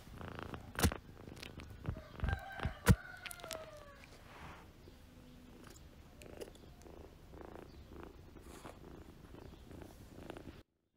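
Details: Gray month-old kitten from Paraguay, wild-blooded, being fostered and wanting to play with another kitten; low steady purring rumble after a few sharp knocks and brief tonal squeaks early on, soft indoor background.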